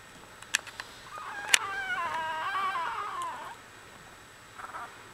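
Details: Australian Bulldog puppy litter at one week old; a single drawn-out wavering whimper with a rising then falling pitch lasts about two seconds, followed by a faint squeak, with a few clicks and handling noises.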